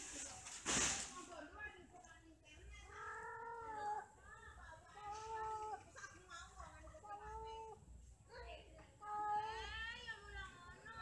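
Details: Mating and quarrelling cats produce a string of wavering, moaning yowls, several short wailing calls of similar pitch spaced about a second apart, with a sharp knock near the start and a faint hum underneath.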